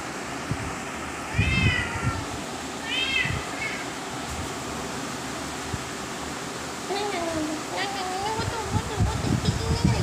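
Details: Cats eating grass on 17 October 2023 at 13:05: three quick, bright meows in the first four seconds, then longer wavering mewing tones while a human voice talks over a constant background hum.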